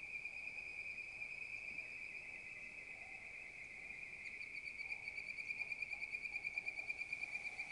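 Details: A bird-voiced treefrog (Hyla avivoca) gives quick, bright whistled notes over a steady, ringing chorus.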